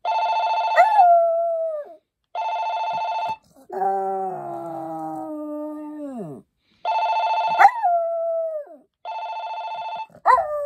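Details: Maltese dog howling in long, drawn-out, falling wails, interleaved with bursts of a steady electronic ringing tone repeating in pulses, the howls sliding down from the ringing pitch at its end.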